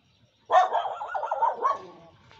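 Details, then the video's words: A neighbour's dog lets out a single long, rough bark that wavers and trails off over about a second and a half, with no other sounds around it. "Neighbours DOG be like NEIGHBOUR !!"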